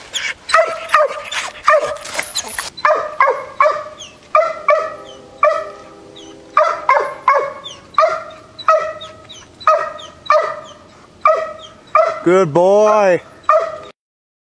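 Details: Young dog, six months old, baying at a treed raccoon: evenly spaced, resonant barks repeated roughly every half second, with a brief scraping noise at the start and a drawn-out, wavering howl near the end.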